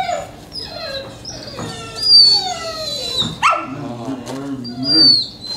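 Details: Akita Inu at its first training session in 2020 gives drawn-out whines. Some are high and falling, some are thin, piercing squeals near the top, and some are lower and wavering. They come one after another with no break, over a faint background hum.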